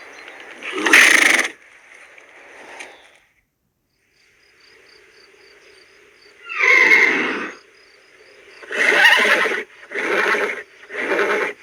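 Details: Horse whinnying: a loud shrill neigh near the start, a quiet stretch, then a long quavering whinny followed by three short repeated whinny bursts at the end, with a faint steady background hum.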